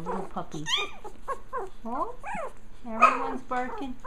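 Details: Litter of Japanese Chin puppies growling a little before play, mixing arched, rising-falling whines and short yelps with a low growly tone, while a person talks over them throughout.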